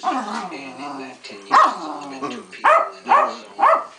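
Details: A female Keeshond named Pancake in the middle of a royal fit: a long, wavering, grumbling whine gives way to three sharp, rising barks about half a second apart.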